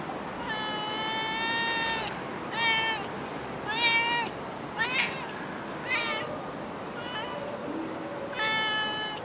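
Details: Stray cat in Singapore giving a run of meows, some long and level, others short and bent, coming about once a second, with faint low voices and hiss behind.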